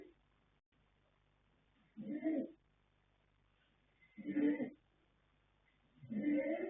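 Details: Asleep, colt foal Yanta (born 21 January 2026, sire Fast Force, dam Pink Blossom) gives three hoarse snoring breaths spaced about two seconds apart against a quiet hum.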